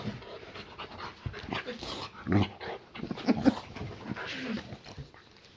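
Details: Boxer named Layla greeting her owner on arrival home indoors, giving short whines and whimpers mixed with panting and snuffling, while a man talks to her throughout.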